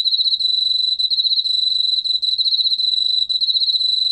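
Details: Unbroken shrill trill from an Emma field cricket, rapid evenly spaced pulses at a constant high pitch throughout, with only faint low background hum.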